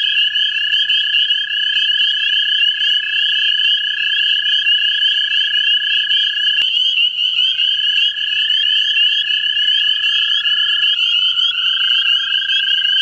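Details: Chorus of American toads in a central Ohio vernal pool, gathered to find mates. Long unbroken trills overlap, and individual voices step up or down in pitch as callers start and stop. A sharp click sounds midway.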